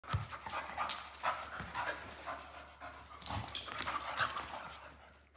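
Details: Two Vizsla puppy sisters play fighting, growling and huffing in rough, breathy bursts.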